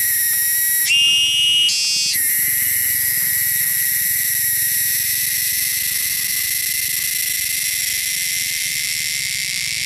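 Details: Loud, shrill cicada call from the wilderness: an unbroken high-pitched buzz that briefly leaps to a higher pitch in two quick steps near the start, then settles into a steady, even drone to the end.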